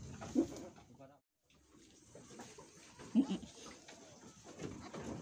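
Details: An Etawah goat giving birth at a goat farm in Bukittinggi, West Sumatra, gives two short, wavering bleats a few seconds apart, with people talking quietly nearby.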